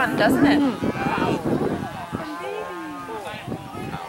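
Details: Dairy cattle turned out to pasture for the first time in spring; a busy jumble of shorter, softer moos and bleating-like calls from several animals at once, with scuffling herd noise throughout.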